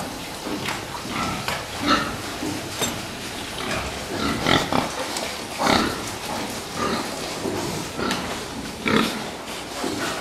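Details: Group of fattening pigs grunting and squealing, with many short, harsh, overlapping calls coming irregularly, some louder bursts standing out over constant background noise.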